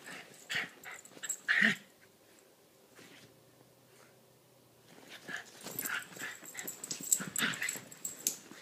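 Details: Small dogs Lilah (Chiweenie) and Minnie (Rat Terrier/Chihuahua mix) at play; snuffling, whiny growls and thin whimpers, a quiet pause, then a busy run of grumbling and scuffles.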